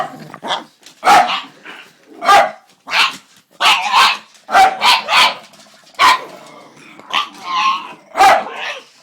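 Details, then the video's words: Pug making weird noises indoors: loud, harsh, broadband barking snorts in short bursts, about a dozen in nine seconds, often in quick pairs, with brief pauses between them. "Weird Pug Noises"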